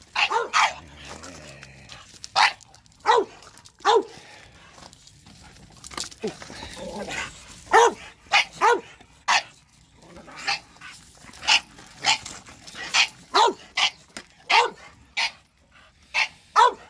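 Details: Reacting to a shop vacuum, bulldogs bark in steady repeated bursts, short harsh barks about every half second to second, with a low hum underneath.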